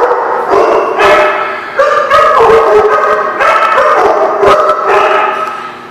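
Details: Chorus of many dogs barking on 22 October 2016, a continuous tangle of harmonic barks and higher yips, with louder bursts about every second and barely any gaps.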